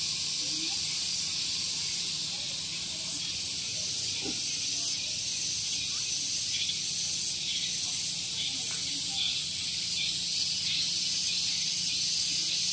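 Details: Cicadas in the morning at Gunung Geulis, Bogor, West Java, Indonesia, near a vehicle parking area: a loud, continuous high buzzing hiss with a steady pulsing swell about every second, and faint low chirps beneath.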